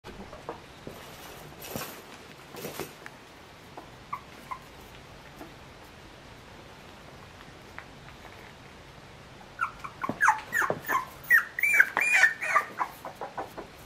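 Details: Three-week-old Shiba Inu puppies of the San'in line, steadier on their legs now, give a burst of high, squeaky whimpers and yelps late on after quieter rustling and scattered faint peeps.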